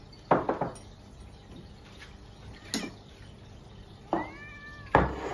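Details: Domestic cats at mealtime in a busy multi-cat household, one father cat pestering the others; a single rising-falling meow with clear harmonics near the end, amid sharp clinks and thumps of dishes and bowls.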